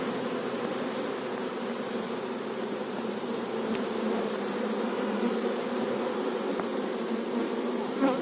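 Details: Colony of honey bees at an apiary hive, with the queen bee in focus: a dense, continuous buzzing hum fills the whole stretch evenly, with only faint scattered ticks.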